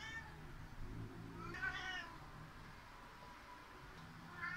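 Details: Cat Seven grumbling indoors after the other cat Eight ran off up the cat tower: one drawn-out, faint harmonic meow in the middle, short meow fragments at the edges, over steady low room noise.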